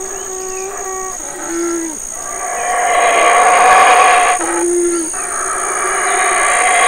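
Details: Large male black howler monkey at the Community Baboon Sanctuary, Burrell Boom, Belize, calling while his family, including two young sons, eats fig leaves and fruit; rough, swelling roaring howl with short tonal notes before it, over a steady high insect drone.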